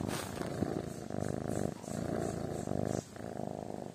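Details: Kitten purring while asleep, in rhythmic low rumbling bursts of about half a second to a second each, separated by short breathing pauses, fairly even in loudness throughout.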